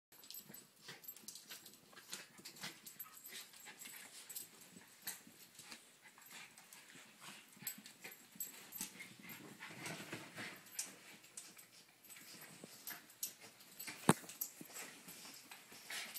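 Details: Two pet terriers, an 8-year-old cairn terrier named Honey and an 18-month-old terrier mix named Danny, play bitey-face in a living room; a steady stream of scuffling, rough growly noises and snorts fills the clip, with soft clatter throughout.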